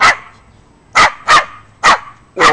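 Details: Pet Yorkshire Terrier being silly at home, barking in a quick series: five high, sharp yaps, the last four paired roughly every half to one second, clear and close with no other sounds.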